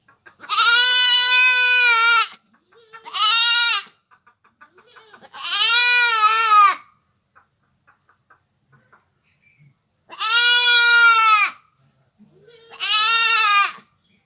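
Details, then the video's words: Village goat bleating in five drawn-out, strongly harmonic cries, each one to two seconds long, separated by short quiet gaps with faint clicks; no other animals or voices stand out. "goat sounds / really goat sound effect"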